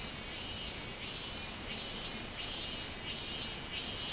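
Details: A robust cicada (minminzemi) recorded on 24 July 2016 gives its ringing, buzzy song, each swelling 'meen' note repeating about once every two-thirds of a second, over a steady background hiss.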